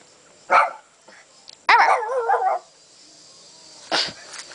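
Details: Female dog at home, eager to go for a walk, vocalising in her own way: a short bark, then a long wavering, whine-like yowl with rising and falling pitch, and another short bark near the end; clapping and a person's voice heard nearby.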